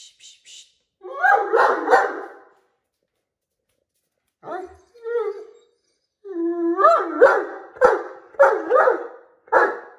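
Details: Maddie the Great Dane complaining to her owner about Jack the cat lying upside down in the doorway from bedroom to bathroom; a mix of yowling moans, whimpers and short barks coming in bursts, loudest near the end.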